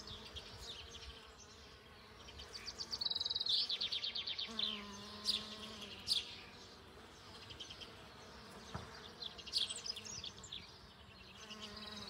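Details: Western honey bee (Apis mellifera) with full pollen sacs gathers pollen on a flowering ceanothus shrub; its low, steady wing hum comes and goes beneath bright, chirping birdsong.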